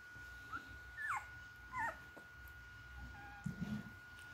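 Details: Newborn puppies nursing from their mother, giving short thin squeaky whimpers around one and two seconds in, a faint squeak later, then a low grunting snuffle near the end, over a steady electrical hum indoors.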